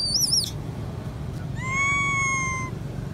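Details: Female baby monkey crying loudly, imploring her mother to come and nurse her, possibly unwell; a short wavering high squeal, then a longer steady whistled cry with a slight fall, over low rumbling background noise.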